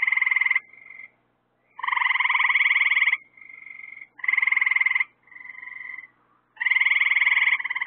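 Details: Frogs trilling at night, with lights added to draw in insects for them. Loud, vibrating trills of one to one and a half seconds overlap with softer answering trills, making an almost continuous buzzing chorus.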